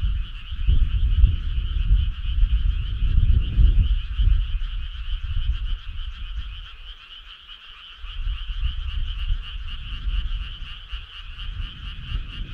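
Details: Frogs calling together on a midsummer night near a country road, a dense rhythmic trilling chorus, strong low rumble loud early, quieter around the eighth second, then returning.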